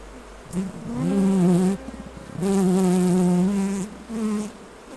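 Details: Honey harvest at the hives, honey bees buzzing: three loud, low hums swell and cut off as single insects pass near, the longest lasting about one and a half seconds, with quieter gaps between.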